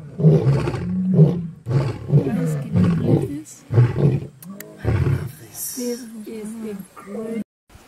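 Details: Lion in Africa giving a series of deep, throaty roaring grunts, about one each second, that fade toward the end, followed by what sounds like a person's voice.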